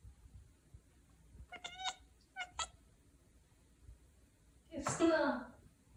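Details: Pet cat chattering upon noticing prey indoors: two brief chirping bursts about a second apart, followed by a loud human exclamation near the end.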